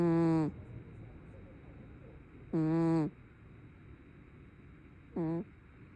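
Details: A brown tabby cat snoring in its sleep: three buzzy, humming breaths spaced about two and a half seconds apart, the last one shorter and softer, with quiet between them.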